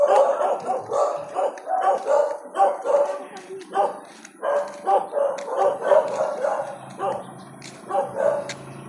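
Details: Dachshund sharing a front yard with adopted dogs, barking steadily in a fast run of hoarse, clipped barks about twice a second, with voices and a faint high steady tone behind.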